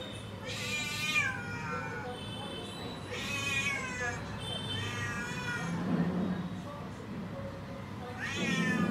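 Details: A cat outside a door, waiting for food, meows insistently: four long, wavering, harmonic cries spaced about two to three seconds apart, each sliding down in pitch, with a low murmur of voices and background hum.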